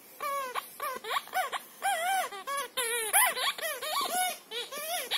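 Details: A Siberian Husky named Shira, with her Nerf squeaker football, 'talks' in continuous wavering moans. Each note rises and falls, strung together almost without break, with a brief high squeak near the middle.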